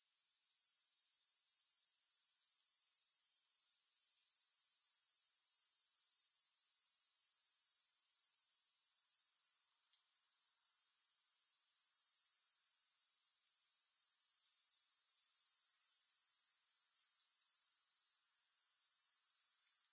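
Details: Grasshoppers calling without music: an even, piercing high trill sustained for the whole stretch, with a brief lull just before ten seconds and a faint click later on.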